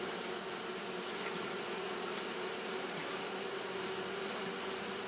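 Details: Steady buzzing of Japanese honey bees fanning through a hot day: an even, continuous hum layered over a broad airy hiss, unchanging in loudness from start to end.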